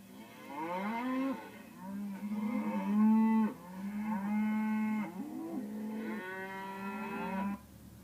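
A cow gives three long, low moos, each a drawn-out harmonic bellow.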